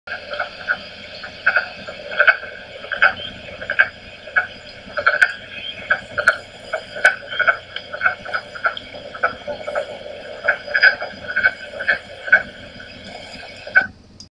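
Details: Wood frog (Lithobates sylvaticus) chorus: hoarse, duck-like clucks repeated in quick irregular bursts.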